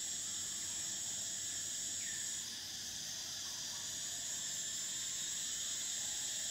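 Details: A sustained, piercing cicada buzz; about midway one singer breaks off and the chorus steps down slightly before continuing, with a faint rising note just before.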